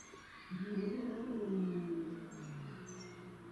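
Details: Low, rumbling growl from domestic shorthair cats in a territorial fight. It swells in a deep, slightly wavering tone and sinks lower as it trails off.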